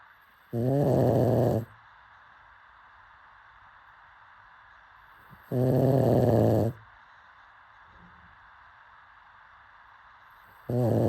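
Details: Dozing pug gives rough, rattling snores about a second long, returning roughly every five seconds, with a faint low breath heard between them in an otherwise quiet setting.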